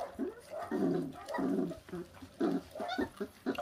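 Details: A feral dog pup, 26 days old, feeding on raw meat, makes rough, buzzy growling bursts repeated in quick, uneven pulses, some drawn out and some clipped, with low chewing thumps underneath.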